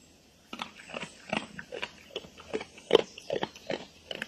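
Wet crunching and chomping from a feeding wild boar come in quick, uneven bursts, a little more than two each second. Soft grunts seem to be mixed into the chewing, and the background is otherwise quiet.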